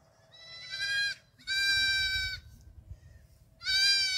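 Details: Young black goats on a farm in Gimhae, South Korea, in July 2022, dashing around; three loud, drawn-out, shaky bleats, each about a second long, with short pauses between them.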